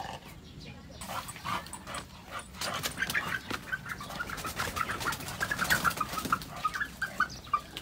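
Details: Chow Chow dog whining in a series of short, high, nasal whimpers that grow denser and louder toward the end, with a person saying "回家啦" (going home) and some background noise.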